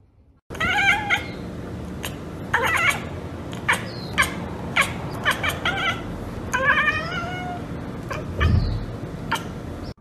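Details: Domestic cat chattering after spotting a bird or insect, with quick clicking teeth-like ticks mixed with short, rippling chirps in loose clusters about every couple of seconds. A faint low thump sounds near the end.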